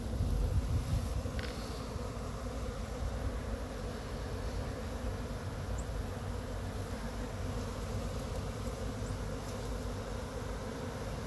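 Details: Honey bee swarm in Chattanooga being slowly brushed off a pine tree into a box with frames: a dense, steady low droning hum that continues without pause, with a slightly louder rush at the start.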